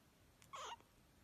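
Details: Ashby, a little survivor kitten found in an engine along with her five brothers, gives one short, high, thin squeak lasting about a quarter second with a slight wavering fall, in an otherwise quiet indoor setting.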